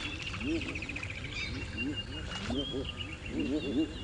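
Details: African bullfrogs at a breeding pond on a rainy December morning in South Africa's Djuma Game Reserve call in a low, overlapping chorus of short, deep croaks, splashing, with higher bird calls and a soft voice.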